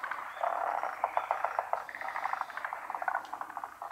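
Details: Frogs chorusing at a pond in Japan; quick clicking, pulsed croaks run in bursts and overlap throughout, a steady mass of calling.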